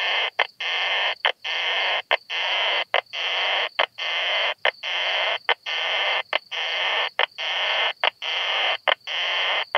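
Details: Isophya kraussii, the Krauss's bush-cricket, recorded in Solnhofen, Germany, 17 June 2021; a steady series of rasping, noisy blocks of sound just under a second each, broken by sharp ticks and short pauses.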